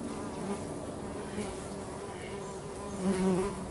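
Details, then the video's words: Bees working at home, heard as a steady low droning hum with layered buzzing tones that swell slightly near the end. "Bees at Home"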